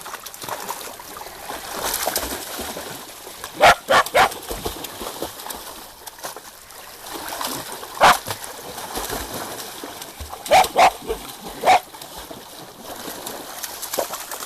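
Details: A Portuguese Water Dog mix named PP barks while teaching a companion to swim. Sharp single barks come in scattered bursts, some in quick pairs, about six in all, over constant splashing and sloshing water.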